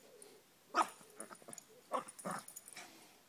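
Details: Pug mix dog racing about wildly in a forest, letting out short, rough snorting grunts in two main bursts about a second apart, followed by softer huffs and faint rustling.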